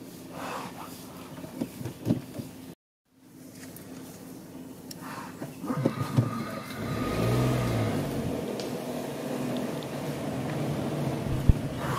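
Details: A vehicle engine rumbles and revs throughout, with a brief silent gap and faint human voices. No distinct animal call stands out above the engine noise.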